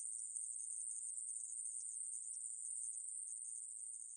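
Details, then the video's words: Aemaeburi grasshopper from the National Institute of Biological Resources' 2020 insect recordings: an unbroken, high, hissing buzz held steady without pauses, with no other sounds. "애매부리, 여러번 듣기, 곤충소리"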